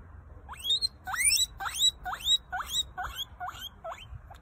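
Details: Guinea pig squeaking: a steady series of about nine short, sharply rising whistled squeaks, each sweeping upward, repeated roughly every half second over a soft low background rumble.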